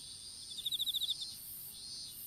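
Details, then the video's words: Insects calling in an open-field strawberry field, picked up by a smartphone dropped while strawberry seedlings were being planted: one quick burst of about ten bright, evenly spaced pulsed chirps over a steady high shimmering hiss. "虫の鳴き声in いちご畑"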